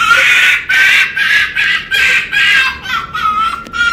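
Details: A rescued fur-farm red fox named Winter, a female still learning to trust people, makes rapid, harsh, stuttering bursts of screeching. They repeat about twice a second without pause.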